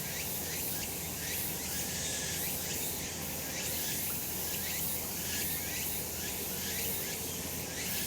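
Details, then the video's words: Sunlit summer mountainside with cicadas in full chorus, a thick unbroken buzz high up, overlapping pulses drifting through it, and a soft low background hum beneath. "セミの鳴き声 夏の山 日なた"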